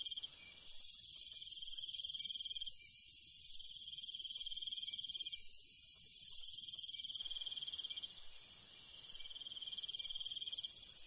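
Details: Crickets chirping at night in rural countryside. A rapid, even high trill runs throughout, and a loud airy high hiss covers the first seven seconds before easing off.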